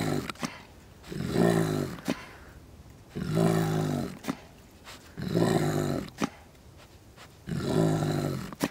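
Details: A captive spotted hyena (Crocuta crocuta) at a wildlife refuge, recorded in 2023, gives deep, rumbling grunts, each lasting about a second and repeated every two seconds.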